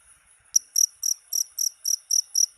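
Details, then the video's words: Cricket chirps meant for repelling rats: after a brief quiet moment, eight sharp, high, buzzy chirps follow at an even pace of about four a second, clean and free of other noise. "SUARA JANGKRIK PENGUSIR TIKUS"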